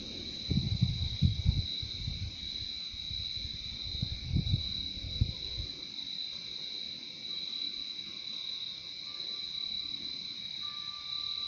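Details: Crickets in a calming nature recording keep up a continuous shrill trill with a softer lower layer, while low muffled bumps crowd the first half before the scene settles into the steady insect drone.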